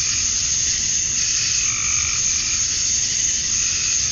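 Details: Cicadas at summer dusk in Georgia, USA, males chirping for mates: an intense, constant high drone with one faint, lower call in the middle.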